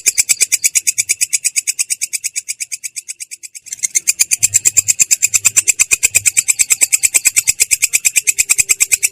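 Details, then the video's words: Clear yet coarse ngerol from a belalang kecek katydid: rapid high rasping pulses that soften and drop out briefly partway, then return louder and steady at roughly three pulses per second. "belalang kecek ngerol!!! suara jernih kasar"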